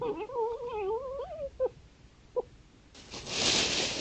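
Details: Red fox on trail camera at a woodland edge among fields in East Sussex at night, playing or fighting: a wavering, crying wail with harmonics lasting over a second, then two short yelps, followed by a burst of broadband rustling noise.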